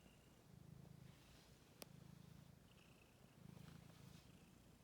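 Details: Ten-day-old stray kittens on 6 May 2022, purring in low rumbling bursts of about a second each, separated by brief pauses, with a faint high squeak and a single click.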